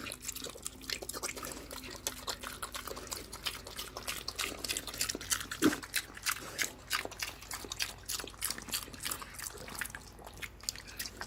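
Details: Hungry pig slurping slop, quick repeated wet smacks about three per second, a brief low grunt-like note midway amid dripping liquid sounds.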